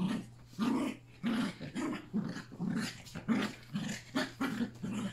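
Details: Playful growls from three Yorkshire Terrier puppies alongside Pepper and their mother during a final play together on August 29, coming as throaty, rhythmic grumbles about twice per second.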